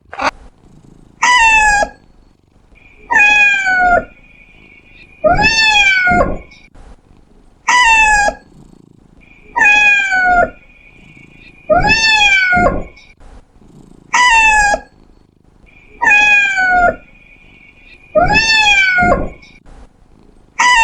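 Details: Domestic cat meowing repeatedly, about every two seconds, each call sharply falling from high to low; a faint steady tone recurs between some meows.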